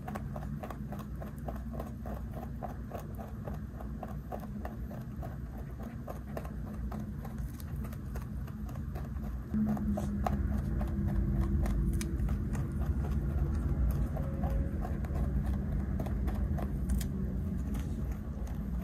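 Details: A large 3.2 kg pet rabbit (Oryctolagus cuniculus) chews a snack from a hand with quick, rhythmic crunching and soft clicking bites over a low hum.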